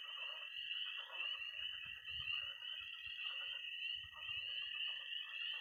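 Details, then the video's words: Missouri pond at night in early spring: many tree frogs, toads and frogs calling at once, a constant piercing high trill with scattered lower croaks and rattles underneath. "Relaxing sounds. 20 minutes of toads and frogs, sound only!"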